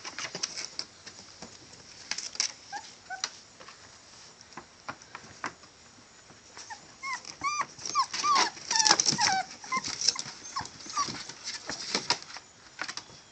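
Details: Male Catahoula bulldog puppies give short, curved squeaks and whines amid heavy clattering and rustling, the cries clustering in the middle of the stretch.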